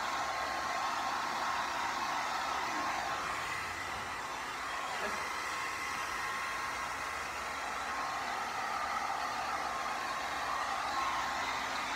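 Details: A hair dryer blows steadily throughout, a constant loud rushing hiss with no animal voice standing out.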